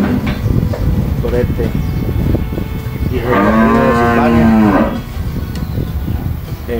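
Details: Gyr cattle on a farm in El Salvador, shown for sale as high-milk stock; one loud, deep moo lasting under two seconds with a strong, rich tone, while a man speaks over background noise.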